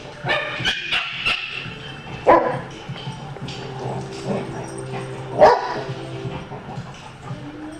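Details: Dogs at a daycare during big-dog playtime in a pen, winding down as they tire; two short, sharp barks about three seconds apart over a murmur of background noise.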